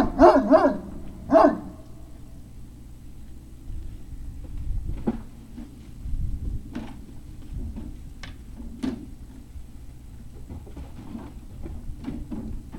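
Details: Great Dane puppies, Puppy Hill, 03-05-2019 around 17:06: three quick barks open the recording, followed by scattered faint clicks, thumps and quiet rustling against a low rumble.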